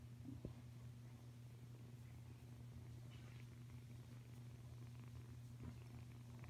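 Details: Kuda, a five-week-old Savannah cat kitten, purring indoors: a steady, low rumbling drone that runs unbroken through the whole recording, with one faint tap near the start.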